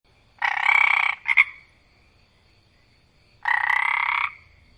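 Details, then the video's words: A single frog croaking loudly outdoors at night: two long, buzzy, rasping croaks about three seconds apart, with a short double-note croak after the first, over a quiet background. "Single Frog Loudly Croaking at Night"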